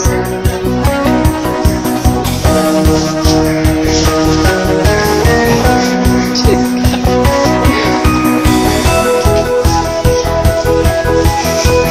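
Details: Loud rock music with guitar, tambourine and a driving beat plays throughout, with no animal voice audible.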